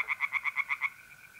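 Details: Tree frogs singing at night in a pond in North-East Italy in mid-April: a fast run of about eight loud, harsh pulses in well under a second, then fading. A steady trill from mole crickets continues underneath.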